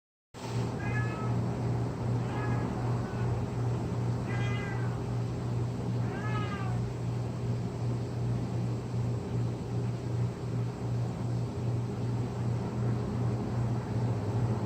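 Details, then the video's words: Domestic cat that habitually drags the same blanket several times a day, making weird noises: four short harmonic meows, some wavering or rising, in the first seven seconds, then steady low hum with no further calls. "Does your cat also habitually drag a blanket while making these weird noises?"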